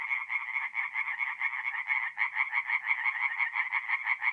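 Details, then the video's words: Chorus of tree frogs by night at a forest pond, mid April, north-east Italy; many frogs produce fast, repeated nasal pulses that merge into an unbroken rattle, with a brief dip in loudness near the middle. "relaxing forest pond by night with singing tree frogs"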